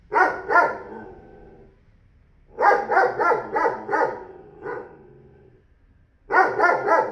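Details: A newly acquired 40 kg dog belonging to a neighbour barks in short bursts of two to five loud, harmonic barks, separated by quiet pauses of one to two seconds.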